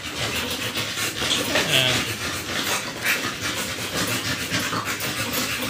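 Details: Two-month-old American Bully puppies, just given their second 5-in-1 vaccine, pant in quick, breathy, hissing bursts repeated several times a second, with people talking quietly in the background.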